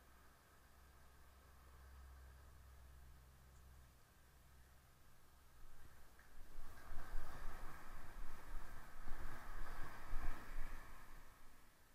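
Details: Low steady rumble of a passing vehicle and wind, growing into louder broadband roaring noise after about six seconds; no animal voice heard.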